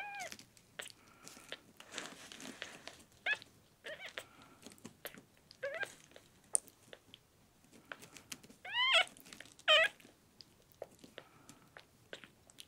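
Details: Sick, dehydrated rescue kitten Miel, a male red tabby and white on his tenth day in care and not drinking milk, meows repeatedly: short high cries every second or two, then two louder, longer wavering meows, with faint handling clicks indoors.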